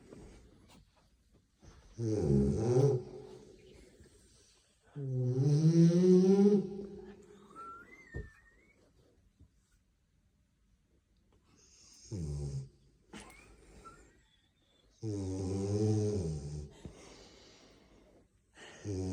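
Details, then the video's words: French Bulldog snoring close to a microphone: four long, loud rasping snores with a deep, buzzy, voiced rumble, separated by quiet pauses of several seconds, plus a brief thin whistle between the second and third snores. "Французский бульдог храпит в микрофон"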